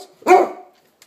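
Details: A single short, sharp bark from a pet dog demanding its breakfast indoors, followed by quiet.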